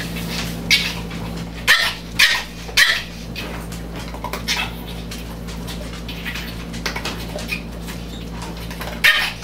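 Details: Chihuahua, dancing indoors, giving a few short, sharp high yips in a quick cluster, then quieter stretches, with one more yip at the end.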